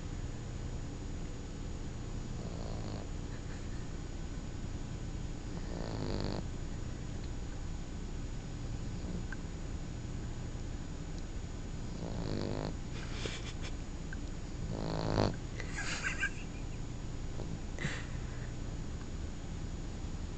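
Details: Otto, a sleeping 3-month-old puppy, snoring indoors: a low, rumbling breath sound runs throughout, broken by louder wheezy, rasping snores at irregular gaps of a few seconds.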